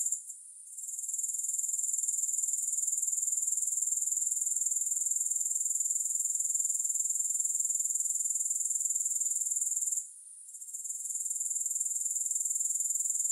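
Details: Grasshoppers in a relaxation recording with no music: a steady, very high-pitched pulsing trill, continuous except for a brief hush near the start and another near ten seconds, then it resumes just as before.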